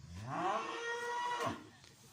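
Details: Holstein Friesian heifer on a farm, offered for sale, giving a single drawn-out moo with a rich harmonic stack that rises then holds steady for about a second and a half before fading, with faint voices around it.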